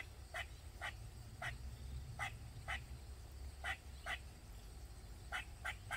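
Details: In a Maryland backyard, a squirrel gives loud, sharp barking calls in quick pairs over a low rumble, crying on and on for 20 minutes or more.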